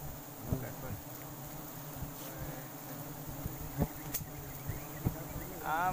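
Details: Forest honey bees, wild and gathered during a sustainable harvest, give a continuous deep buzzing drone throughout, broken by scattered taps and clicks, with brief human voices in the background.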